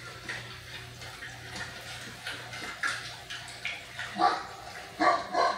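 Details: Great Dane barking: a few short, loud barks near the end, two in quick succession, with softer sounds earlier over a steady low hum.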